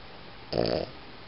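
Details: Single short snore from a sleeping Boston Terrier, a gravelly rattling breath lasting about a third of a second, in a quiet indoor room with low background hiss.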